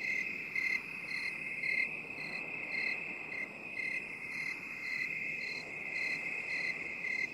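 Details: Crickets in 8D binaural sound for stress relief: repeated shrill chirps, roughly one or two a second and unevenly spaced, ride on top of an unbroken high-pitched trill.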